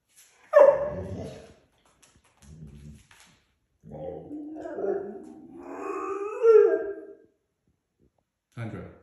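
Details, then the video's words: German Shorthaired Pointer puppy, rowdy in the morning, gives a sharp bark followed by soft grumbling whines and a rising, whining howl, with a short muffled sound between. "Puppy Being Rebellious & Loud In The Morning"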